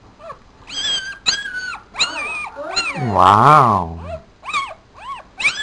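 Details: Male Papillon puppy, four days old, sitting in a black dress shoe, gives a string of high, squeaky whines with arched pitch, then one longer, louder, lower wavering cry midway, and more short squeals after it.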